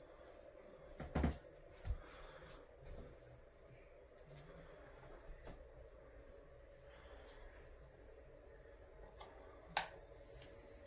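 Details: Constant shrill ringing from crickets kept by their owner, an even high tone without pauses, broken only by a few brief clicks and thumps, including a sharp tap near the end.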